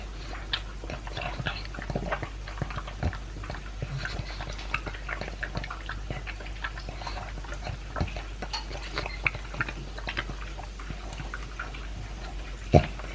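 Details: Two-year-old Pug eating dry kibble mixed with beef meat; continuous crunching, wet lapping and smacking chews, with a sharp knock near the end.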